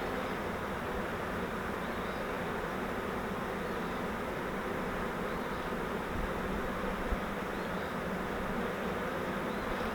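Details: Many honey bees from a swarm taken in a fiber flowerpot swarm trap, handled while being shifted frame by frame into a Langstroth hive, make an unbroken, even, low buzzing drone for the full ten seconds.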